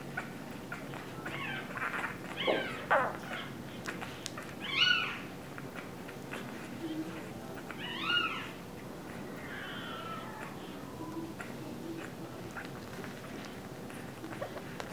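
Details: Two-week-old English Bulldog puppies cry in thin, squealing whines, each a brief rising-and-falling squeak a second or two apart, over a steady low hum and faint rustling.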